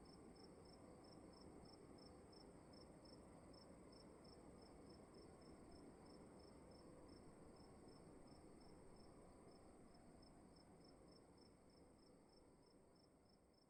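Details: Rapid, regular cricket chirps inside a room, about three pulses per second in an unbroken even series, with a faint steady high whine and dense low background hiss that fades slightly toward the end.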